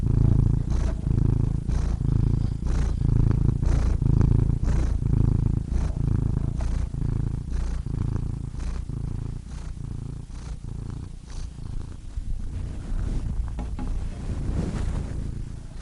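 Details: Cat purring in a rhythmic, low vibrating hum, breath phases alternating about every second, the rumble growing slightly softer and less regular toward the end.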